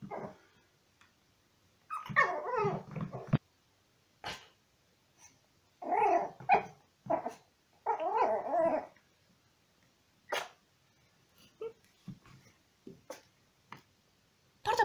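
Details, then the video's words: Yorkshire Terrier puppy playing and reacting to metal music, 'speaking' in throaty clusters of yips, grumbling growls and whimpery vocal bursts. The bursts come in bunches lasting about a second, with quiet gaps and scattered sharp clicks between them. "Yorkie puppy speaking, playing, reacting to metal music"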